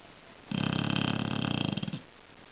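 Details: A sleeping bulldog snores in one long rattling breath lasting about one and a half seconds, a rough buzzy vibration with quiet stillness before and after.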